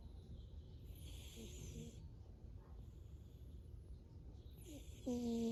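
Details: A Snowshoe cat asleep and snoring: soft, breathy rasping breaths around the first and fifth seconds. A short, clear tonal sound comes at the very end, over a low background rumble.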